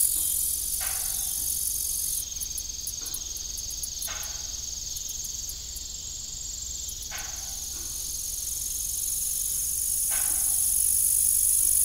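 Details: Evening cricket chorus at an abandoned family farm with a rusty windmill: an unbroken high trill with bursts of rapid ticking pulses early on. Windmill creaks recur every second or two, and the hum swells toward the end.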